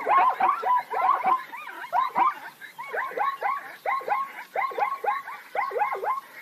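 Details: Plains zebra calls: a quick series of yelping, arched barks rich in harmonics, each rising then falling, coming about once a second with several voices overlapping.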